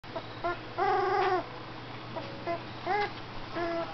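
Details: Aspen, a golden retriever, sings a little tune while having his picture taken for his web page: short whiny harmonic notes, a longer wavering held note near the one-second mark, then several brief yelps and a final note, in a quiet room.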